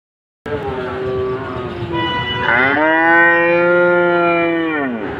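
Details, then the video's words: A cow gives a long drawn-out moo with a rich harmonic tone, steady and slightly falling at the close, preceded by a lower, rougher lowing sound. "Cow sound"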